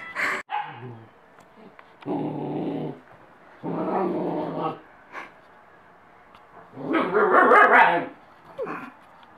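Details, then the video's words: German Shepherd puppy listening to Jingle Bells gives three drawn-out, harmonic howling growls, each about a second long with gaps between. A short sharp yelp opens the clip, and a few brief clicks and faint background noises follow. "Cute Shepherd Puppy Listening To Jingle Bells"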